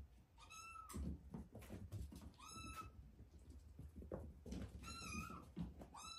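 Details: Cat meowing indoors: four high, thin meows, each a short flat note with a slight drop at the end, spaced one to two seconds apart over a background of low thumps and rustling.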